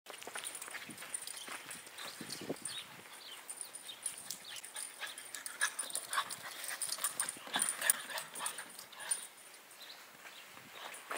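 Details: French Bulldog having a wild, excited fit, giving a rapid, irregular stream of breathy, noisy huffs and snorts, close to two bursts a second, with some louder gruff bursts in the middle and no other clear sounds.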